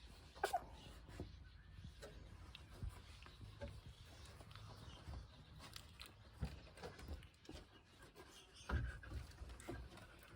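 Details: A litter of week-old Pungsan puppies under their mother Iseul's care, with low grunting, snuffling and short whimpers scattered over rustling movement in a small indoor space, with sharper squeaks around the first and last seconds.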